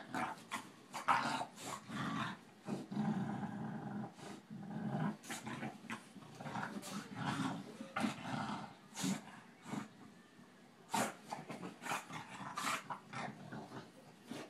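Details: Two dogs, a Boston terrier and a bulldog, playing together indoors; low rumbling growls and snorting grunts come in bursts, mixed with sharp clicks and scuffling thumps of rough play.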